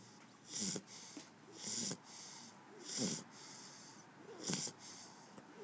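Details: Shar Pei dog fast asleep, snoring: breathy wheezing snores with hissy upper tones, about four in under six seconds at uneven spacing, quiet room between breaths.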